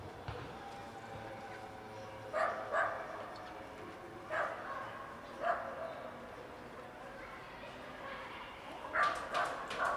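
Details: A hungry kitten approaches a cat lounging on a car and mews in short tonal cries: isolated calls early on, then a quick run of three or four near the end, with soft outdoor noise underneath.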